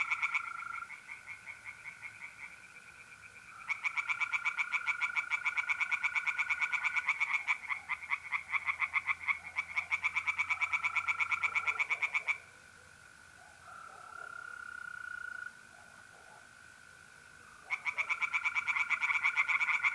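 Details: Mid-April night at a pond in north-east Italy: tree frogs sing in loud bursts of rapid, high, pulsed croaks, broken by quiet pauses, while mole crickets trill continuously through the gaps.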